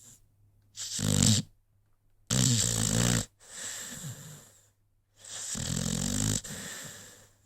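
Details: Snoring from a sleeping American Pit Bull Terrier named Rocky, indoors; four loud, rough breaths with a buzzing low rattle, each lasting about a second, with short silences between.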